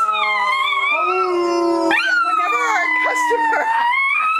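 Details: A Miniature Schnauzer puppy howls back in long, wavering, tonal notes as a person howls alongside.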